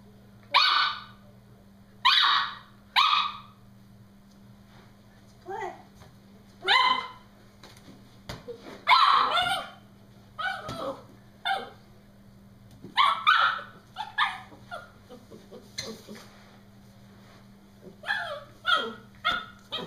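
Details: Brody, a Norfolk Terrier, playing with his balloon and shrieking at it indoors; bursts of sharp, harmonic yelps come in quick clusters, some short and some drawn out, with pauses between and a steady low hum underneath.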